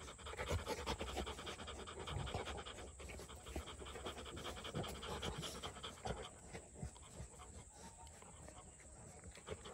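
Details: Rottweiler breathing in quick, uneven huffs, the panting holding a fast breathy rhythm that softens toward the end, with a low background hum.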